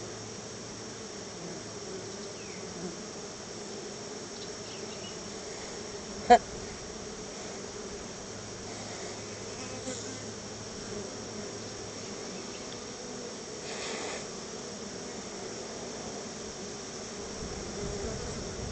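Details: Swarm of honey bees at a backyard hive, coming out to be fed a little honey: a soft, steady buzzing drone throughout, with a single sharp click partway through and faint rustling.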